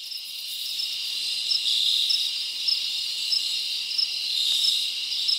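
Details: Crickets chirping at night in a forest in summer: a dense, steady high-pitched chorus of overlapping trills, with brighter pulses repeating roughly every half second and faint higher buzzing above.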